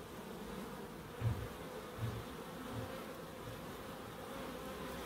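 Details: Bees in a small wildlife garden at a terrace house in Crookes. A soft continuous buzzing hum plays under a couple of low thumps in the first two seconds.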